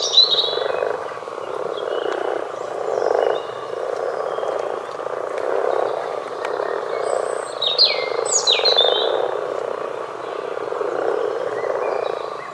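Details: Common frogs croak in a massed, purring chorus with rhythmic surges about once a second, overlaid by frequent sharp, sweeping bird calls and twitters in the middle section.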